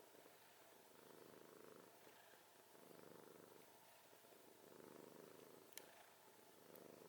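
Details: Sleeping domestic cat snoring, low rasping breaths rising and falling roughly every one and a half seconds, with a faint tick near the end; quiet indoor background hiss.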